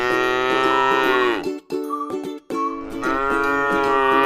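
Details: Tame cow resting in a pretty rice field, giving a long, rich moo that sags downward at its end, a short pause, then a second drawn-out moo, all over lively plucked-string music with a quick steady beat.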